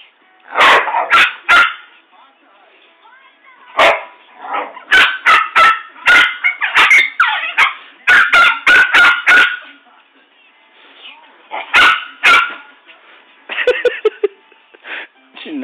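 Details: A Rottweiler and a poodle in a scuffle indoors. Rapid, irregular high barks come in long excited runs, ending with softer, lower grumbling sounds, while people chatter nearby.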